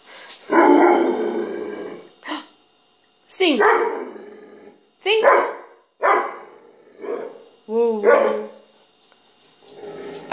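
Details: A vocal adopted mixed-breed female rescue dog, asked to sing, answers with a series of throaty, growl-like howls and yodelling whines. Bursts come every second or two, one with a wavering rise and fall near 8 seconds, and a person speaks afterwards.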